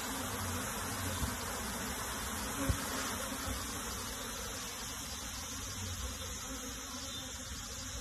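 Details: Many honey bees humming continuously as their colony is transferred into a box; a rough, even drone with grainy texture, brief sharp tap near the middle, no other animals audible.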